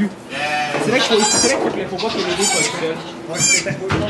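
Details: Goat bleats at a kidding in a Quebec sugar shack, filmed on an iPod Touch: a few sharp, shaky bleats, the last one rising, heard between French speech from onlookers.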